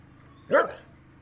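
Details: Saint Bernard; bark; alerting to a stranger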